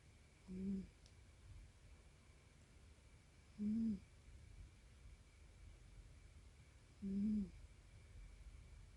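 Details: Tonkinese cat named Aqua, prone to rhinitis, snoring indoors with volume boosted: three short, low, nasal, hooting snores roughly every three and a half seconds, each with a faint higher overtone, over a quiet steady room hum.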